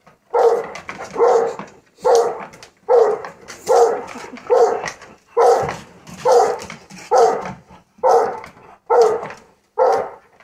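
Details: A Rottweiler and an English Bulldog, excited while watching an RC truck run around the yard, bark in a steady run of deep, even woofs, roughly one per second.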